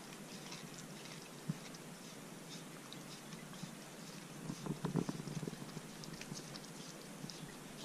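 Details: A corgi eats a homemade dog-safe popsicle on a hot day, chewing and licking with soft wet crunches and clicks in a quiet room.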